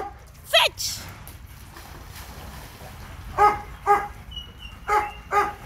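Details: Leo, a Labrador Retriever, at a dog park: a brief voice and rustling open the stretch, then four clear, evenly spaced barks in the second half over low outdoor noise.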